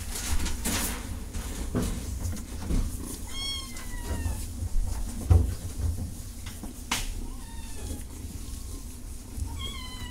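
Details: Cat giving three spaced meows, each a short falling whine, the last one sharper and higher, heard over a constant low droning hum and occasional knocks.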